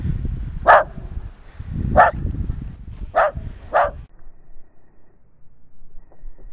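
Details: Four crisp barks from Nix, a West Highland White Terrier playing in snow, the last two close together, over low rumbling noise that stops, leaving near quiet.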